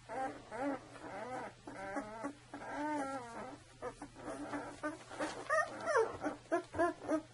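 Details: Two-week-old Saluki puppies in a litter making wavering, harmonic whines in short bursts, then sharper rising squeaks and yips toward the end.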